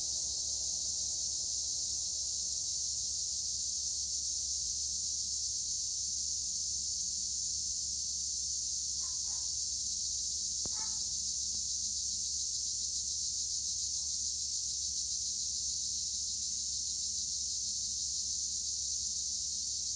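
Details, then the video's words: Olive-grove tree crickets (Acheta assimilis) near Edremit, Turkey, keep up an unbroken, shrill, buzzing wall of sound; a couple of brief, faint, lower chirps cut in around the middle. "Tree cricket noise in Olive trees - acheta assimilis"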